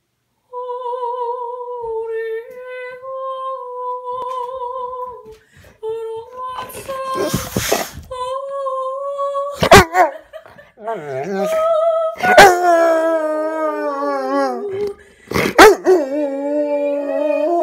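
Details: Rottweiler. A Rottweiler gives drawn-out, tuneful howls, holding level notes before sliding up and wavering. Sharp knocks and thumps break in between phrases in a small room.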